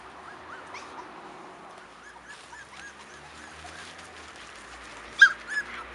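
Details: Five-week-old Cairn Terrier puppies from a litter born 28 June 2015 give soft, high, upward-curving whimpers, scattered and overlapping, with a louder squeal near the end over a low background hiss.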